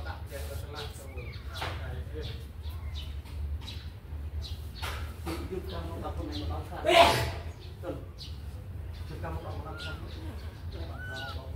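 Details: Kittens let out of their cage to run and play; toward the end come two short, high, arched mews, rising then falling, over a steady low hum with scattered clatter and a loud burst midway.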